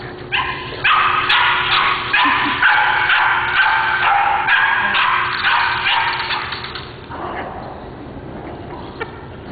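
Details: Simba, a puppy around nine weeks old, lets out a quick run of high, bright yips and whimpering barks for about six seconds, fading into softer whines, with a steady hum underneath.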